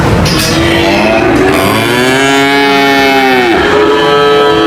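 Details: Cow mooing loudly in a long drawn-out call with rich harmonics that rise and then fall, overlapping lower moos from other cattle, with steady background noise throughout.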